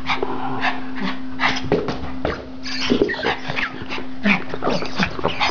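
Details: Male Norwich terrier, almost three years old, at play with a toy; clustered sharp yips and short growly barks in quick irregular runs, set against a constant low electrical hum.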